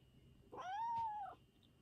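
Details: Former stray cat that became an affectionate house cat gives one clear drawn-out meow, rising then gently falling, lasting under a second, over a faint steady hum.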